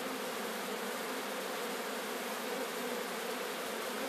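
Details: Captured swarm of Sicilian honey bees in Sciacca: a thick, loud, even buzz with a steady low tone and a bright hiss above, no pauses.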